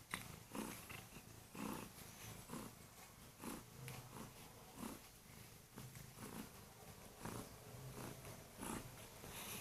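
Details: Loud morning purring from a Kurilian Bobtail cat that jumps onto the bed to wake its owner, gently biting hands; a low rumble pulsing about once a second with each breath, in a quiet small room.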